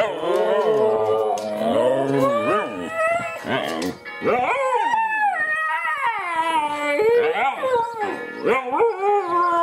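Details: Two Siberian Huskies howling together, one starting and the other joining in. Long wavering, sliding howls that rise and fall, overlapping into a loud, rich chorus.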